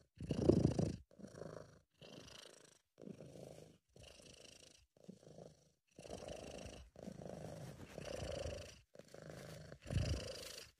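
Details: Sabu the British Shorthair purrs in a happy, relaxed mood, amateur-recorded: a low buzzing rumble in separate breath-length bursts of about a second, divided by brief silences, a few strokes noticeably louder.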